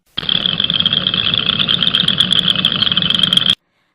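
Southern chorus frogs give a dense, high, raspy trill that runs on without pause, calling to attract mates.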